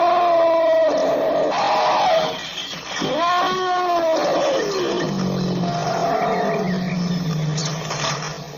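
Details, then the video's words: African elephant letting out wavering, arched trumpet calls followed by a deep, drawn-out rumble, rough and harmonic throughout, with steady background hiss. "African elephant sound effect"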